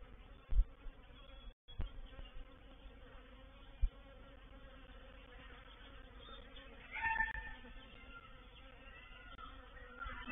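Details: Honey bees of a reproductive swarm entering a swarm trap at Painted Peacock Manor, 04/07/21. A continuous low droning buzz holds throughout, with a few sharp knocks and a brief dropout early on, then a louder surge near the seventh second.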